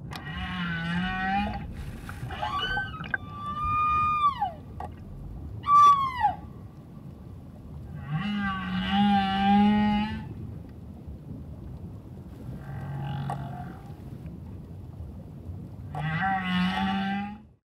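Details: Humpback whale song recorded by a diver off Moorea, French Polynesia, on October 15, close enough to vibrate through his chest: low moans alternating with sweeping whistles and rich, buzzy harmonic cries underwater.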